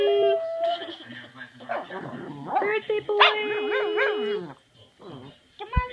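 A Boston Terrier howls in wavering, sliding tones alongside people singing a birthday song.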